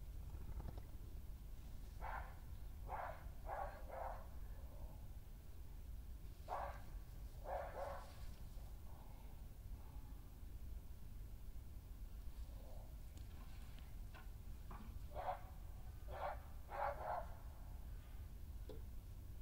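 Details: Badgers scuffling on 20 May 2018 as Hattie, a dominant senior female, confronts an unwelcome newcomer on her patch, with the intruder doing most of the growling; short harsh yelping bursts come in quick clusters over a low rumbling background.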